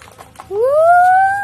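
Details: A pet Shih Tzu, a sturdy toy dog breed, lets out one smooth tonal howl that sweeps upward in pitch and then holds steady for about a second, after a moment of faint background murmur.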